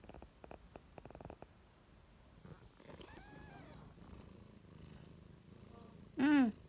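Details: Two-day-old kitten with its mother, mostly quiet rustling and soft clicks, then one loud, clear, rising-falling meow near the end.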